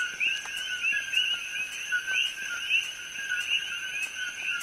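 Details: Coqui frogs calling at night on the Hilo side of Hawaii Island, an invasive species heard from evening until morning; a dense chorus of overlapping short rising chirps in two pitch bands, with a steady high whine running throughout.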